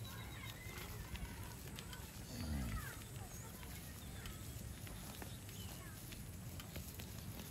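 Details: A crowd of cows walking along a highway on their way back home to the stable gives a brief, low, falling moo with a rich layered tone, over steady road noise and faint bird chirps.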